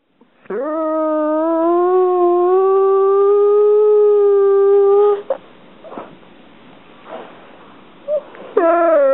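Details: Pet dog whining because its favourite toy is stuck under the couch: one long, steady, tonal whine held for about four and a half seconds, then a brief quiet pause and the start of another high whine.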